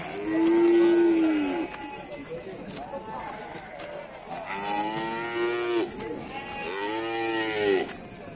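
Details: Cattle at the Pasar Wage Bumiayu livestock market in Indonesia: three long, deep, harmonic moos. The first is steady and loud, and the later two swell and fall. Crowd chatter and market noise run underneath.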